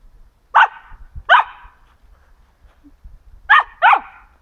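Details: Samoyed named Kaydo playing in autumn leaves; four loud sharp barks in two pairs, the first pair near the start and the second about three seconds later, over a quiet background.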